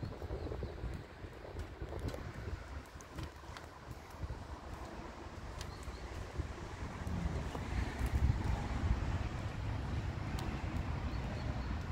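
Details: Outdoor wind buffeting the microphone with low rumbling traffic and scattered clattering knocks, growing slightly louder toward the end; no animal sound is heard.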